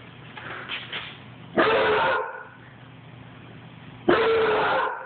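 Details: Basset hound puppy, running, gives two drawn-out, tonal barks about two and a half seconds apart, each lasting roughly half a second, over a low background hum.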